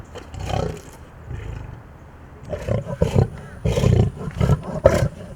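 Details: Captive big cat at a wild cat rescue refuge, shown as a wild animal asserting dominance toward a caretaker, giving deep rough roars and growls in repeated bursts, with a woman speaking softly nearby.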